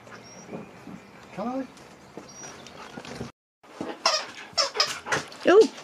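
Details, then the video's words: Siberian Husky named Nook at home, telling off its owner: brief rising and falling woo-woo vocal slides around the middle, then a run of loud broadband bursts and a final upward yelp, with a person speaking and laughing nearby. "HUSKY at HOME ~ Nook TALKING, shouting"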